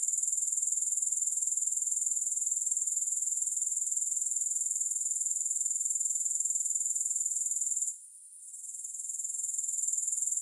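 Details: Grasshoppers keep up a constant, shrill, high-frequency pulsing trill with no music behind it. Near the eight-second mark the sound briefly fades, then swells back to its earlier steady level.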